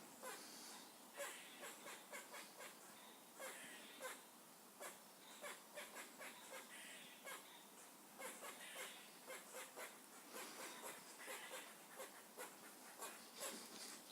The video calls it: squirrels making funny noises